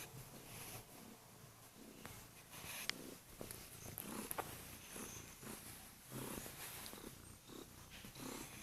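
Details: Kurilian Bobtail cat on its owner's bed at dawn, purring loudly to wake the owner; a rhythmic low rumble rising and falling with breathing, a few faint clicks and rustles in a small room.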